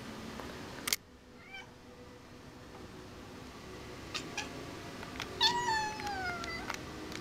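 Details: Domestic kitten named Sql, indoors, hunting a fly and seeming to bark at the sun: a sharp click, faint rising chirps, then a run of harmonic, downward-sliding chattering calls near the end, with a quiet room background.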